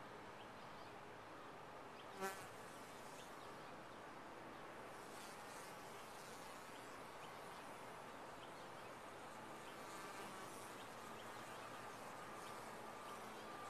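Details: Colony of honey bees in a top-bar hive giving a continuous rich buzzing hum, broken only by a brief sharp knock early on.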